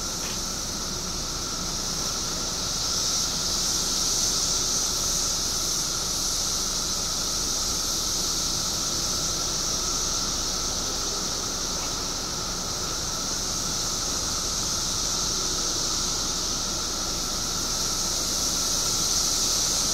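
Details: Periodical cicadas in a mass emergence of billions after 17 years underground, Illinois; a dense, unbroken high-pitched droning chorus holds steady for the whole stretch, with a fainter steady hum lower down and no pauses.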